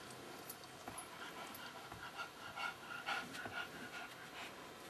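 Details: Pingeling, a pet Pekingese, panting in quick breathy puffs about twice a second, rising toward the middle, with a faint thin whine threaded through several breaths over low room hum.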